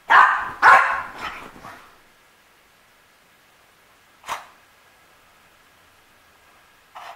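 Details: Misha, a French Bulldog, opens with two loud, rasping barks in quick succession and a trailing grumble, then stays silent apart from one sharp bark midway and a short one at the end.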